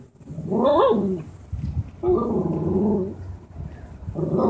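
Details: An angry male Lhasa Apso gives harsh, growly barks and drawn-out grumbling, barking at a black Labrador he dislikes in his building. His barks are growing more emotional.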